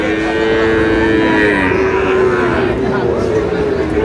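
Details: At the Ambari cattle market in Manikganj, Bangladesh, on 14 August, Sahiwal bull calves for sale give long, steady, even-pitched moos that run into one another, under constant crowd chatter and bargaining voices.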